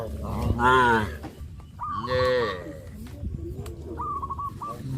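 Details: Cows on a traditional village farm give two loud, drawn-out moos, rich and rising then falling, with softer lowing between.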